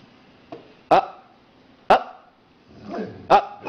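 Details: Trained female Labrador Retriever giving short sharp barks, three loud ones about a second apart with softer sounds between, indoors while a person gives commands.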